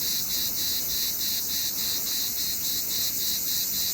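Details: In summer, a cicada gives a dense, high-pitched buzz that throbs in quick, even pulses, several each second.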